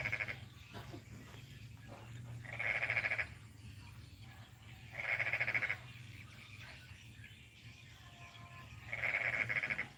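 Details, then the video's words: Croaking frog heard in the morning in a rural village under development, Kampung Baru Mangkupadi, North Kalimantan: buzzy pulsed bursts repeated about every three seconds, four in all, against low background rumble. "Apakah kalian mendengar suara kodok?"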